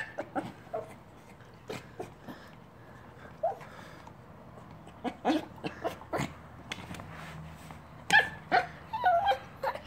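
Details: Silver Yorkshire Terrier straining to reach snacks inside a chew toy indoors; rapid soft whimpers and squeaky yips, with a run of higher whining notes near the end and faint rustling of the toy.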